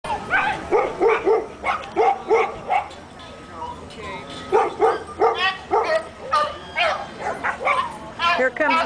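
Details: Several dogs at a dog park in the morning bark excitedly as a regular visitor who hands out cookies approaches; they are anxious for a treat. Rapid runs of sharp, harmonic barks come in bursts, with a person talking between and over them.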